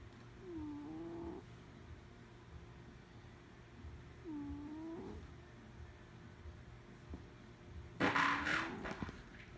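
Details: Sleeping cat snoring: wavering, nasal whistled tones that dip and rise, one every few seconds, with a brief loud rough noise near the end.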